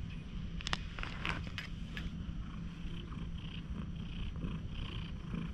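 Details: Friendly stray cat missing one eye, stroked in a quiet park and recorded with a GoPro HERO8, purring in a continuous low rumble, broken by a few sharp clicks and rubbing noises from handling.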